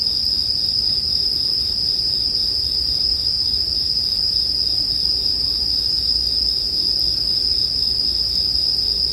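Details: A continuous shrill chorus of bell crickets rings evenly at one high pitch throughout. A quiet low campfire rumble sits underneath in this relaxing sleep background.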